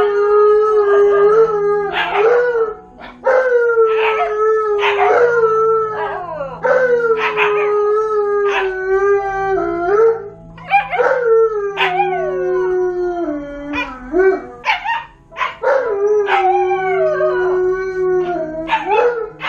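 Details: Alone at home for the first time, a Malamute and a Husky keep up a sustained duet of howls, one drawn-out and gradually dropping in pitch, the other interjecting bursts of quavering, woo-like yips and slides, with brief pauses between phrases.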